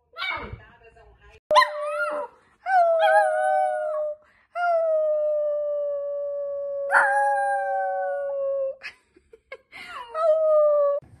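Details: Naughty, playful miniature Dachshund howling: a series of long, steady, mid-pitched tonal howls, several held for two to four seconds, opening with short yelps and broken by brief pauses.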